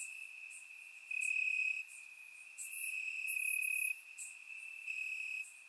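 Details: Crickets chirping in grass on a warm summer night in Bulgaria, recorded with a surround microphone: a steady high trill with louder pulsing bursts about every second or two, plus faint higher overlapping chirps from other insects.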